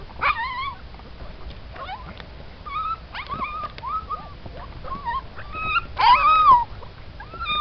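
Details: Litter of Siberian Husky puppies, mixed boys and a girl; repeated high whimpering whines, each a short rising-falling slur, overlapping from several pups, with a louder drawn-out cry near the end and low handling noise.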